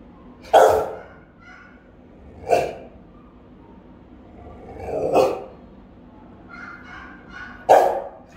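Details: Rottweiler house guards barking while on watch: four powerful, round single barks spaced roughly two to three seconds apart, with quiet low murmurs and faint whines between them.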